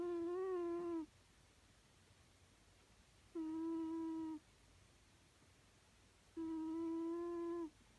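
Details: A domestic cat snores as it sleeps, each breath giving a level, tonal hum about a second long. Three such notes arrive roughly every three seconds, the first slightly wavering, over a quiet indoor background.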